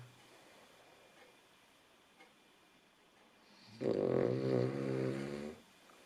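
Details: Female Cavalier King Charles Spaniel Nela snoring: low background hush, then a loud, buzzy, rattling snore with rich harmonics rises and holds for nearly two seconds, wavering slightly before fading out.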